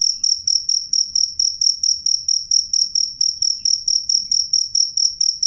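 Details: Loud, clear cricket chirping: a run of sharp, high-pitched pulsed chirps at an even pace of roughly three per second. Only a soft low hum lies beneath.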